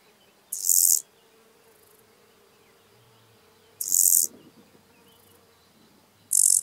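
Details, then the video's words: Lesser marsh grasshopper singing at Elsbethen, Austria, on 27 July 2019: short, dry, high-pitched buzzing chirps about half a second long, spaced roughly three seconds apart, with quiet background. "Chorthippus albomarginatus -- Weißrandiger Grashüpfer -- Lesser Marsh Grasshopper"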